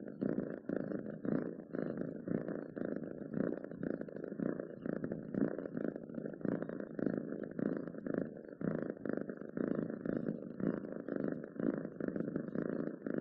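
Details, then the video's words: Purring of a pet cat, a steady low, motor-like rumble with a rapid flutter, pulsing gently with each breath over several seconds, close and dry with no background noise. "7 minutes of Cats Purring to make your day better!"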